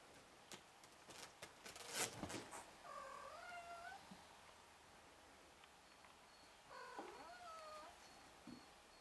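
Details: Four-week-old Ragdoll kittens, one of a litter of six with their mother, give two thin, wavering meows several seconds apart, each rising then falling, amid clicks and rustling handling noises.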